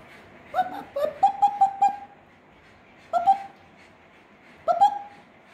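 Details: Six-week-old Parson Russell Terrier and Russell Terrier puppies at Blossom Valley Kennel give short, tonal whining yelps: a quick run of about five, then single yelps after pauses, in a quiet indoor room.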